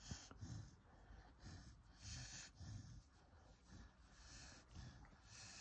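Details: A corgi being massaged breathes audibly in slow, low snorting puffs, each lasting about half a second.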